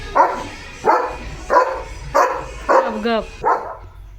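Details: Leo the German Shepherd, guarding the house at the gate, lets out six loud barks about two-thirds of a second apart, one breaking into a short wavering whine near the end.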